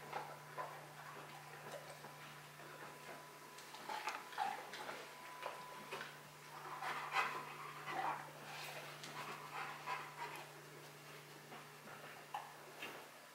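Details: Bruno, a Rottweiler, working through a box maze challenge indoors, pants in loose bursts of breathy huffs, with faint whimpering, light clicking and rustling from the boxes, and a steady low hum underneath.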